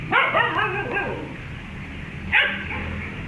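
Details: Pet dog reacting on meeting a cat: a burst of three or four rapid high-pitched yappy barks at the start, a pause, then one more sharp bark near the end over low steady background hum.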